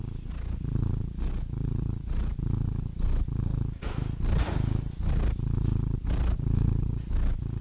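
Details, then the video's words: Domestic cat purring steadily, a deep rumbling drone that swells and fades with each breath, roughly one breath cycle per second, no other sounds "Soothing Cat Purr Sound Effect"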